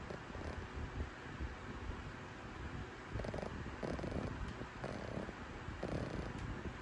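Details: Sarang, a flat-faced Pekingese-Shih Tzu mix, sleeps soundly and snores loudly: rough, rasping breaths repeat roughly every second over constant noisy background rumble.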